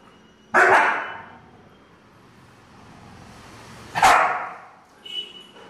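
A Siberian Husky gives two loud, harsh barks about three seconds apart.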